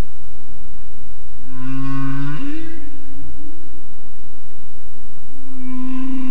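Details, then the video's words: A humpback whale sings deep in Monterey Bay, recorded by a hydrophone 900 m below the surface about 30 km offshore. Its low, drawn-out moaning units, one sliding upward, sound over underwater hiss. "Humpback whale song from Monterey Bay"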